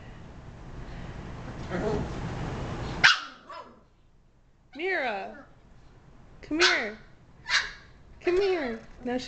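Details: Mira, a female Shiba Inu, indoors. People talk first, then she gives about five drawn-out, wavering, yowling barks with rising and falling pitch, spaced about one second apart.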